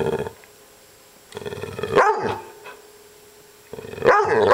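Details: Upset dog Maggie grumbles in low, steady, throaty growls, broken by two sharp rising-and-falling bark-like yelps, one mid-clip and one at the end.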